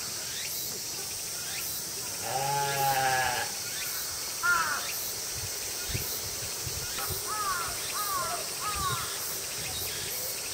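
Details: Female mouflons at Tama Zoological Park, Japan, on a summer night in August 2012, abruptly crying together: a long quavering bleat, then shorter wavering bleats from others, over constant high insect buzzing.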